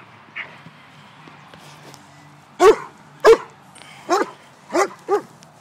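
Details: White German Shepherd dog barking while playing; after a quiet start, five short, sharp barks come in the second half, the last two close together.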